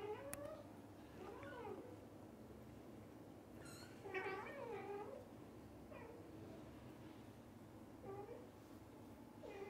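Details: Cat meows from a happy family where the dad cat stays near the mother cat and kittens; a series of varied meows, some short chirps, one long drawn-out wavering call, irregularly spaced with quiet gaps.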